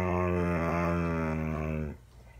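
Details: Daisy, a rescued dog, lecturing her owner as she does almost daily, a habit begun about ten years ago; a long, steady, low harmonic growl-moan held for about two seconds in a small indoor room, then quiet.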